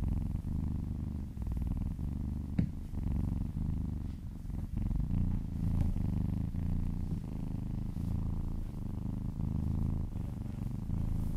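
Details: Happy house cat purring during a massage, continuous deep rumbling with gentle breath-linked swells, a couple of faint clicks or taps near the start, otherwise quiet indoor room.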